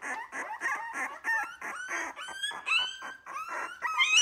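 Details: Wire-haired Miniature Dachshund litter, three weeks old, unhappy at being fed milk by a human rather than their mother; overlapping high whines and squeaky cries, several pups at once, some rising and wavering, steady and insistent throughout.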